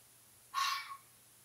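A fox gives a single harsh, raspy call lasting about half a second.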